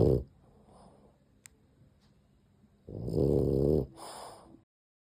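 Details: Dozing dog with gentle snores: the tail of one snore, a quiet pause of nearly three seconds, then a rough, throaty snore of almost a second followed by a shorter softer one.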